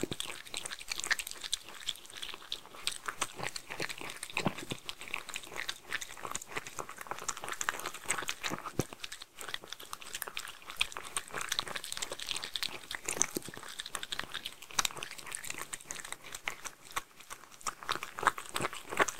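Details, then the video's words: Homemade food being eaten by Mindy, a Shetland Sheepdog, indoors: long, steady run of close-up crunching and wet chewing, rapid crackly bites with occasional louder snaps. "ASMR Dog #3 Eating Homemade Food (Shetland Sheepdog) Sheltie"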